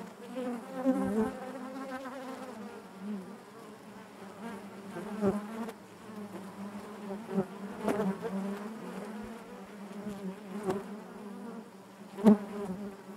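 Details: Many honey bees in their hive produce a thick, even hum with layered overtones, the drone wavering gently, punctuated by a few crisp ticks and one louder close buzz near the end.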